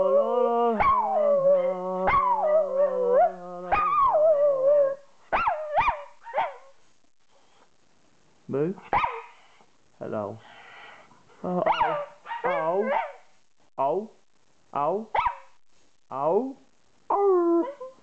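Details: Mika, a female Jack Russell Terrier cross Yorkshire Terrier singing along with a person's tune, gives one long wavering howl, then a run of short, bending yelps and howls about once a second, with quiet pauses between them.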